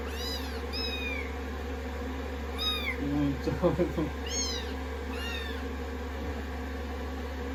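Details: Rescued kittens on a lap after a shampoo, being blow-dried, day 16 of their growth record: high arching meows repeated several times, a brief murmur of voices mid-clip, steady hair-dryer hum throughout.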